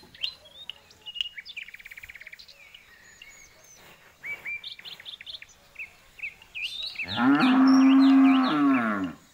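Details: Bird chirps and whistled notes fill the opening seconds. Then a jumbo bull gives one long, loud moo of about two seconds, with a strong steady tone and a falling end.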